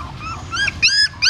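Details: A dog in Siem Reap carrying newborn puppies away from a pagoda stupa. Three quick high-pitched whines, each rising then falling, heard against a low steady rumble.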